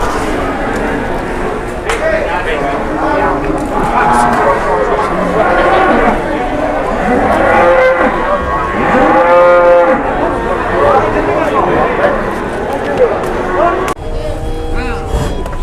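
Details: Cattle at Pasar Pon livestock market in Indonesia, where some slipped and fell on slick ground. Several drawn-out lowing moos, one loud harmonic-rich bellow mid-clip and a shorter one near the end, over steady crowd chatter and market din.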